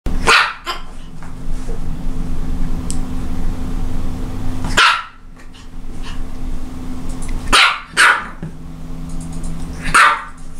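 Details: Japanese Chin barking: about six sharp, bright barks, some in quick pairs, scattered across ten seconds with quiet gaps, over a steady low electrical hum.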